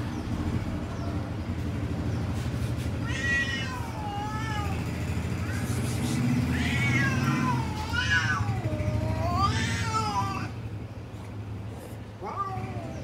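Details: Several cats in a garden, described as a lion cat, a tall cat and a short cat, giving a run of drawn-out meows, some rising then falling, over a steady low hum of traffic.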